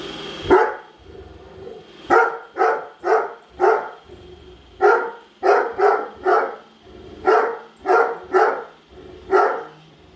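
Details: Great Dane named Padme barking at a robot vacuum she hates until it returns to its charger; quick volleys of deep, harsh barks in groups of two to four, over a constant mechanical hum.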